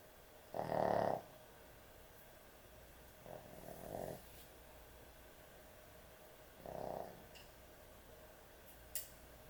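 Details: Snoring dog at bedtime: one loud rasping snore, then two softer ones spaced about three seconds apart, with a faint click near the end in a quiet room.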